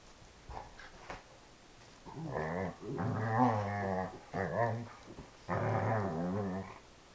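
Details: A Dobermann moos almost like a cow during play indoors, giving four long, wavering, groaning growls with a rich harmonic tone and slight pitch wobble, after a few quiet knocks at the start.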